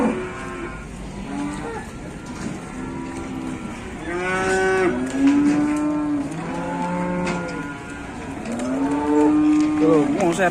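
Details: Cattle at an Indonesian livestock market, agitated and fighting; a series of loud, harmonic-rich moos, several bellows with arching pitch repeated over ten seconds, with crowd noise and faint voices behind.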